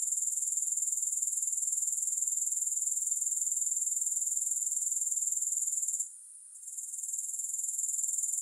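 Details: Grasshoppers keep up a bright, rapidly pulsed chirr for several seconds, fall quiet for a moment, then gradually build back up. No music.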